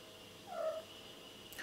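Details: A domestic cat, called Mr. Cat, answers questions with a single short, soft, tonal meow lasting about a third of a second, with a steady low hum in the background.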